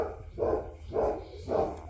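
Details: Black Labrador puppy from a winter 2023 litter in Colorado, USA, about two weeks old, eyes beginning to crack open. Three hoarse, mid-pitched cries, evenly spaced roughly half a second apart, over a quiet indoor background.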